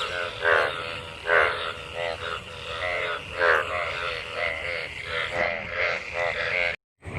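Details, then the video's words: Frogs calling in a rain-filled pool after monsoon rain during mating, a crowd of them; rich buzzy croaks overlapping, louder notes rising from a continuous chorus, brief cut near the end. "Frog mating,Frog Sounds after monsoon rain,Sounds of toad Croak croak ! frog mating and love in rain"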